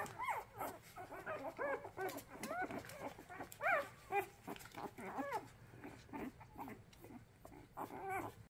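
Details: Hungry orphaned puppies being hand-reared, eyes not yet open, whining for food: a string of short, high, arching cries and yelps, repeated irregularly every second or so, several pups calling together.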